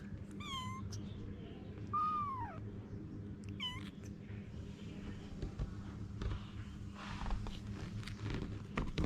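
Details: Anna, a mother cat, with her babies; three bright, high-pitched meows with strong harmonic overtones in the first four seconds, the middle one a longer downward slur, then only low background rumble and faint rustling.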